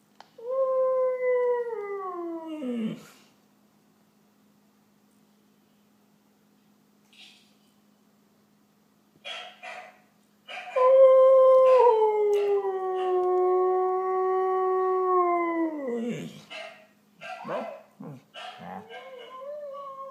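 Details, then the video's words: A female Siberian Husky, watching videos of herself on an iPad and a TV, gives a short falling howl, then a long, drawn-out howl that sags and drops away. "Husky Howl"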